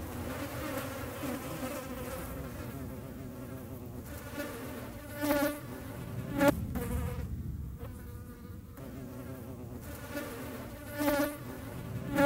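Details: Hornet hunting flies near the Eifel, Germany: steady low droning buzz with stacked overtones, several louder swells and sharp knocks as insects pass close or strike, while other smaller buzzing fly wings hum alongside.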